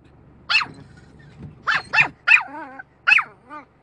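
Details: Dog barking at a car's windscreen wiper: five sharp, high barks in quick bursts, two followed by short wavering whines, over a faint low engine-like hum.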